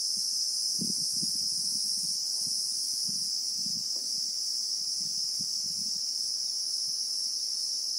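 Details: South African bushveld Christmas beetle (Anoplognathus), real-time sound: a loud, unwavering high-pitched whine fills the whole stretch, slightly pulsing at first, over scattered low knocking and rustling noises.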